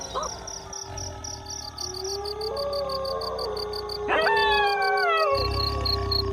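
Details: Wolves howl over a constant rhythmic high chirping. One low steady tone holds, then a louder howl enters partway through, sliding slowly downward alongside other voices before fading.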